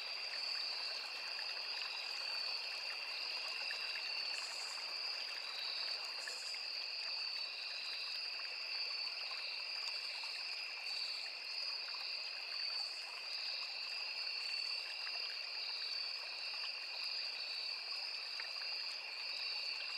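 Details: Crickets and cicadas in a forest near a small river keep up an unbroken high, even drone made of two shrill tones, with occasional faint higher bursts and a steady background murmur of flowing water.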